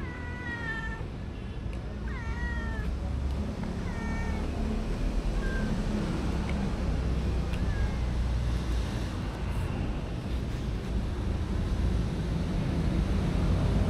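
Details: Homeless street cats and kittens gathering at a busy feeding session, recorded on a DJI Osmo Action: several clear, bending meows rise and fall in the first half, then fade into a steady low rumble like traffic.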